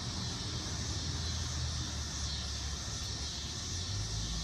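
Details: A single "dog day" cicada, landed on a deck umbrella in Lawrence, Kansas, on an August afternoon, gives a steady, high, hissing buzz as its mating call, over low traffic rumble.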